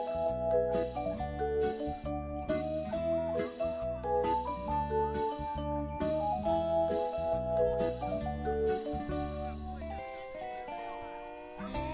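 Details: Bright mallet-percussion music with vibraphone and xylophone-like notes plays steadily over a soft bass line; no animal sounds are heard.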